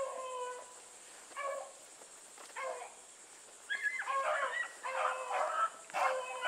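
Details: Blueticks running with Sassy, their bays starting as scattered single notes and building into a dense, overlapping chorus of musical hound voices in the last seconds, with a persistent insect drone behind.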